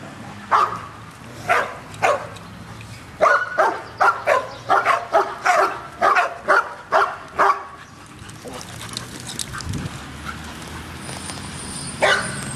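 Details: Dog barking at a dog park: a quick run of sharp, bright barks, roughly a dozen in eight seconds, spaced unevenly, then fading into quieter background noise toward the end.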